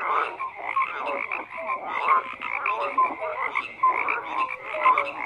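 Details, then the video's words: Croaking frogs in a thick chorus, rough pulsed calls over a steady hum of callers, with clear short whistle-like notes popping out about once a second. "FROGS CROAKING"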